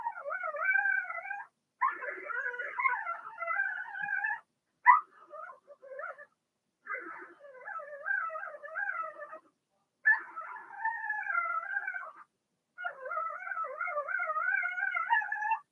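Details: Blenheim Cavalier King Charles Spaniel puppies from a six-pup litter born March 7–8, indoors in a home puppy pen during potty training; wavering, tonal whines in bursts of one to three seconds, broken by short pauses.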